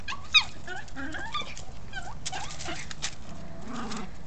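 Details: Louie, a Chihuahua, apparently unhappy with a ball, gives a run of high, thin whines and short yelps in quick succession, each tone bending up and down, over a steady low background hum.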